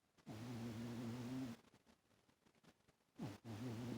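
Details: Toaster, a domestic cat, sleeping on a lap and snoring loudly: two low, droning, harmonic breaths, each about a second and a half long, separated by a quiet pause. The room is otherwise still.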